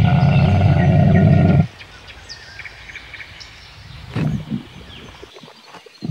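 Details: Camel letting out a powerful, low, rattling roar lasting about a second and a half, then stopping short, leaving quiet background noise with a faint brief sound afterwards.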